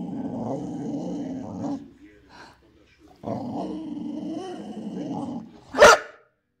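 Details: Boxer dog reacting to his new piggy toy gives a low, rough, rumbling growl lasting almost two seconds, then a longer growl after a short break, ending with one sharp, loud bark.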